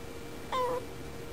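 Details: A female house cat chatting at a window, looking slightly lonely, gives one short, clear, slightly falling meow against a quiet room background.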